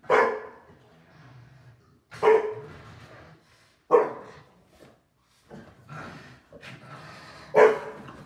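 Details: Two dogs, a Shar Pei and a Boston Terrier, playing hard after dinner in the evening: four sharp, loud single barks spaced about two seconds apart, with softer low growly rumbles and scuffling between them.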